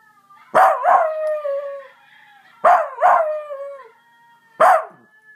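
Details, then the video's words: A Basenji mix gives its yodel-like baroo, a sharp onset sliding into a long falling wail, repeated. "Basenji mix Augie baroo"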